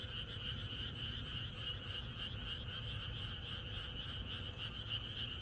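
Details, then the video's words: Night-before-rain frog chorus in the Korean countryside; countless frogs trill and croak at once in a thick, even wall of rapid pulses, about three or four a second, over a low background hum. "개구리들의합창#비가 오려나?이것이 자연의 소리 ~개구리들의 합창"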